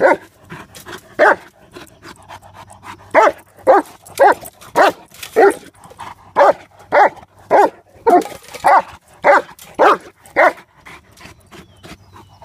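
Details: Mastiff named Mace playing with the trap, letting out a long run of about seventeen gruff barks at a fairly steady pace, roughly one every half second, with short pauses and faint rustling between them.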